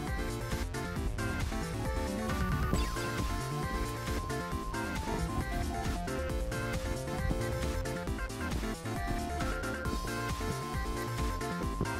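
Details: Loud electronic background music with steady beats and melodic tones throughout.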